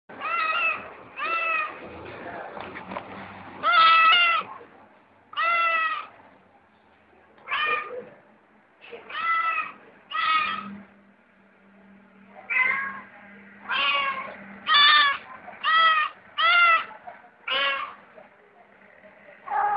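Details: Domestic cat meowing repeatedly, about fifteen short, clear, harmonic meows over twenty seconds, some rising then falling in pitch, separated by brief pauses, with a faint low hum underneath.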